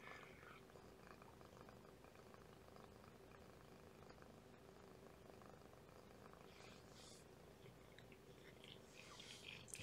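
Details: Mother domestic cat, about two years old, a rescued stray, purring loudly beside her nursing kitten, her volume rising; a steady low rumbling texture with faint pops throughout, a quieter kitten purr and a woman speaking softly.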